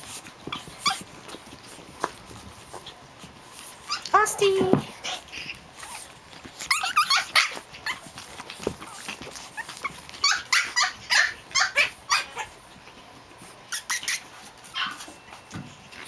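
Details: Japanese Chin puppies at play, Hestia, Fizzz, Asti and a baby girl; a rising squeal, then scattered yips and snuffly grumbles in short runs among quiet pauses, with a woman speaking names.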